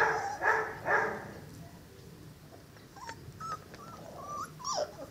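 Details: Five-week-old Cane Corso puppies from the pair Zola & Ziko: two loud, short whimpering yips open the moment, followed by fainter high squeaks and little yelps scattered over a quiet background.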